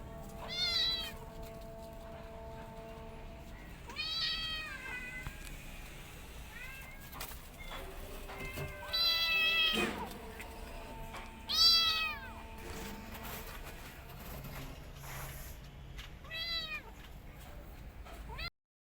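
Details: Mother cat and kittens together: a run of loud, high, bending mews repeated every few seconds, some short and some drawn out, over faint steady tones and occasional knocks.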